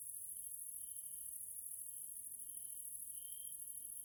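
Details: Evening grasshopper chorus from a Hungarian nature area in Central Europe. An unbroken high, sizzling drone fills the background while a lower, pure continuous tone holds steady and swells briefly louder near the end.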